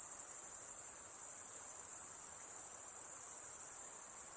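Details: At night, crickets produce a continuous, shrill, finely throbbing trill, even and unbroken from start to finish, set against faint background hiss.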